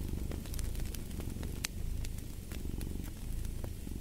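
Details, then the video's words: Cat purring steadily, a low rumbling throb that swells and fades with each breath, mixed with sharp snapping crackles of a fireplace. "Fall asleep to the Purring of a Cat"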